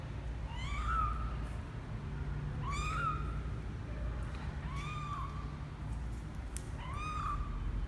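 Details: Misoka, a kitten twelve days after birth, out of his box for the first time, mews four times at roughly two-second intervals, each call high, thin and arching with bright overtones, over a low steady hum.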